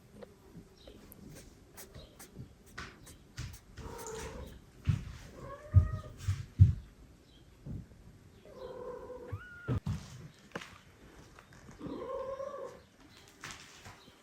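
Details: Older female house cat introduced to adopted foster kittens sharing her room; several drawn-out, wavering meows spaced a few seconds apart, mixed with soft thumps and handling noises.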